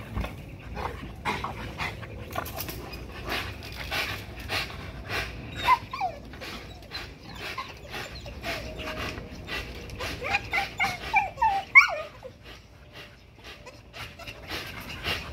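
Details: XL American Bully pitbull exercising on a spring pole gives rapid, shallow panting with short high whines and yips mixed in, the breaths quickening and loudest near the twelve-second mark.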